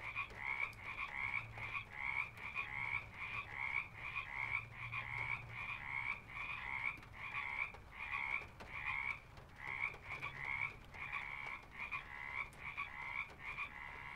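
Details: Frogs at a pond, a steady chorus of short double-pitched croaks repeated rapidly, roughly one to two per second, with a low rumble underneath.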